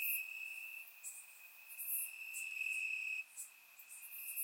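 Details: Night chorus of crickets in Bulgarian summer grass: one shrill unbroken trill holds steady, overlaid by short, very high chirps arriving irregularly, some loud and close, recorded in surround sound.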